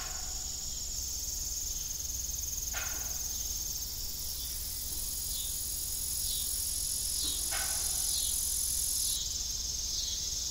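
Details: Evening cricket chorus at an old farm with a disused windmill: continuous high trilling plus short repeated chirps, joined by two sharp creaking sounds.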